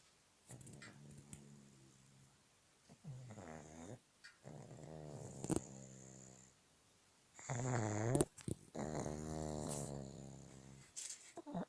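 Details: A sleeping pug at a Petrozavodsk pet hotel snores in a steady sequence of grating, vibrating inhalations, some wavering in pitch, growing louder toward the end with a sharp click midway.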